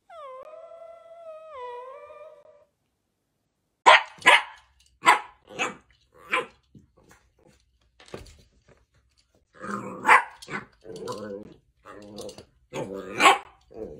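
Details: Mini dachshund indoors: a drawn-out wavering whine opens, followed after silence by clustered high barks and whimpering yelps, some short and clipped, others louder and strained.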